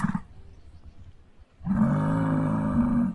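A muskox gives a deep, rough bellow held steady for about a second and a half, after a brief trace of a speaking voice.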